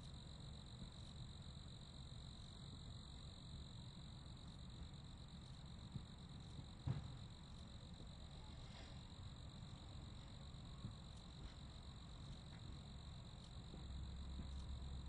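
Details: Crickets chirping in a steady, high, continuous trill with a fainter overtone above, a soft faint chorus over low background rumble, with a brief knock near the middle.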